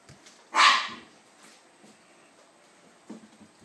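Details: Seven-week-old puppies from Ava's litter, Molly among them, playing and wrestling in a crate; one sharp loud bark near the start, then faint shuffling and a small yip later.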